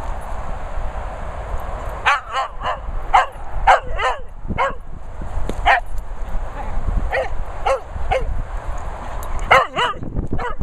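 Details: Dogs Benji, Daisy and Millie with Vizsla Archie, out in the countryside. Short, high, yapping barks come singly and in quick pairs, with gaps of about a second between bursts. Wind and rustling fill the background.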